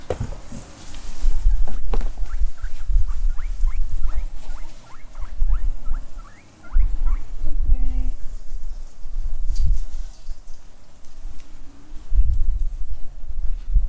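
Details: Pet guinea pigs eating grass and avocado tree leaves give a run of short, squeaky rising whistles, about two each second, over loud low munching and rustling thuds.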